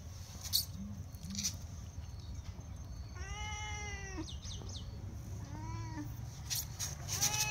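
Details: Sorna cat crying for food, giving two shorter meows midway, the first clearer and the second fainter, against a low hum with a few clicks and rustles.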